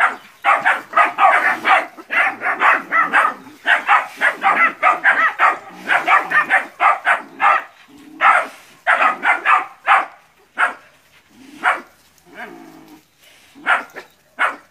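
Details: A pack of nine puppies barks at a big water buffalo during training before going into the field in West Sumatra, Indonesia; dense bursts of yapping barks, thinning toward the end with short gaps.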